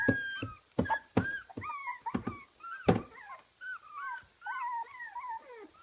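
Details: Kooikerhondje puppies, 24 days old, from a kennel in Sweden, whimper and squeak in high, wavering, overlapping cries.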